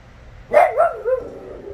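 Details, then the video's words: A four-year-old female West Highland White Terrier named Teagan throws a tantrum indoors after her torn favourite toy is put out of reach, giving a wavering, talkative bark-whine that rises and falls over about half a second, then a softer trailing moan. "Teagan the westie throwing a temper tantrum"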